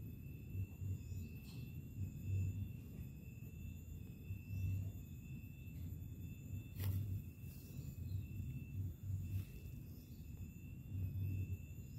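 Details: Outdoor low rumble in gentle pulses, with steady high whining tones and a few sharp knocks, and no animal call.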